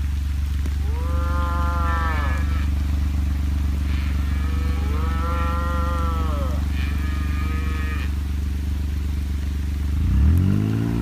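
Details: Separated baby heifer on a ranch repeats bawling moos roughly every two to three seconds, some short and high, others longer and arching, then a deep rising call near the end, with a steady low engine-like drone.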